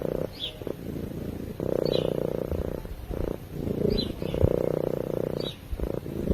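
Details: Cat purring while asleep, close to a microphone: a pulsed, rumbling purr in long bursts separated by brief quieter breaths, roughly two to three cycles per ten seconds, with faint high chirps in the background.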